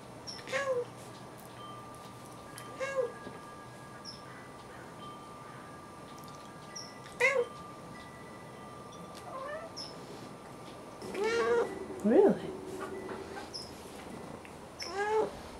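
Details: A male Siamese cat chatters in the afternoon, a string of loud meows every few seconds, each rising and falling in a nasal, wailing arc, with a brief patch of other voicing partway through.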